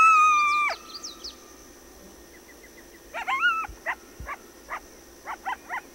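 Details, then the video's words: Coyote howl that is held briefly and then falls away, followed after a pause by a rising yelp and a string of short, sharp yips and barks over a faint background hum. "Coyote and wolf sounds"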